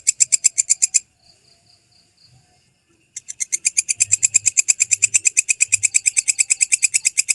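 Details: Walang kecek grasshopper, recorded clean as master audio for training songbirds: a fast train of sharp, high, buzzy clicks that breaks off after one second, leaves a near-silent pause of two seconds, then resumes steadily to the end.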